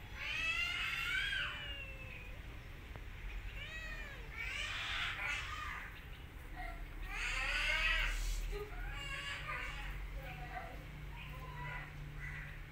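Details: Mother cat and her kittens, with an orphan kitten the mother attacks after smelling her; a string of short arched mewing cries, several overlapping callers, rising and falling quickly, busy and repeated through the clip with low background rumble.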